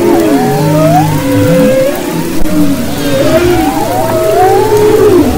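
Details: Underwater humpback whale song recorded off western Maui in February 2011: arching, rising and falling tonal wails, a deep downward groan, and sustained low notes blending into a continuous chorus.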